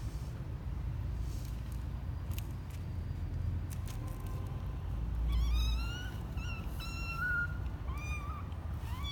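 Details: A 12-day-old male kitten on his first trip out of the box, January 12, 2020; after a quiet start, a run of high, thin meows with rising then falling pitch, about six in quick succession, over a steady low hum.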